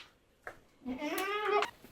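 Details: Farm goats held behind a gate awaiting their evening feed of grain mixed with grass and straw on a commercial goat farm, young kids coming out last; one loud harmonic bleat rising and wavering for nearly a second after a soft knock.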